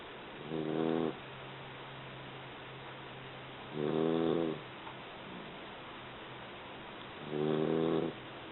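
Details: Three-month-old Labrador mix puppy sleeping through a long nap and snoring: three drawn-out, harmonic rasping breaths roughly every three and a half seconds, each about half a second long, with quiet breathing between.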